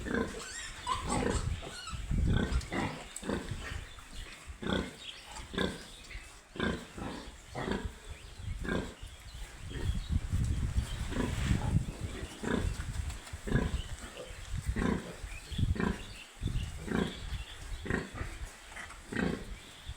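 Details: Piglets on a pig farm, a dense run of short low grunts and squeals repeated roughly once a second, broadband bursts with irregular timing, steady background murmur throughout.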